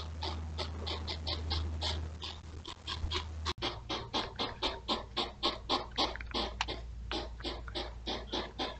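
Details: A pair of courting European hedgehogs at night beside a house, trail camera, June 2023: a steady stream of sharp breathy puffs, roughly four per second, with a low electrical hum under the first few seconds.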